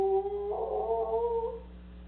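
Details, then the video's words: Soft Coated Wheaten Terrier, a pet dog, howling indoors while its owners are away. A steady, mid-pitched tonal howl starts level, then swells slightly louder and wavers gently before fading after about a second and a half. A faint low hum runs underneath. "soft coated wheaten terrier howling"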